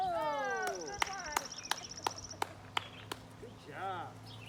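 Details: A beagle gives a drawn-out, falling howl with rich harmonics, then a shorter wavering cry, howling repeatedly during a game of fetch; recorded July 2020.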